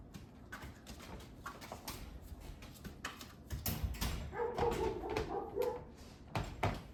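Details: Indoor wrestling among three 8-week-old Labrador Retriever rescue puppies named Gray, Yellow, and Green: pawing and thumping, then a string of short, nasal whimpering growls and yips for over a second amid continued scuffling.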